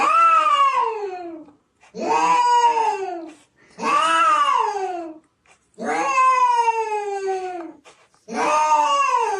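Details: Cat in snow, calling with five long, loud meows roughly every two seconds, each starting high and sliding down in pitch, strained and wailing, with brief silence between calls.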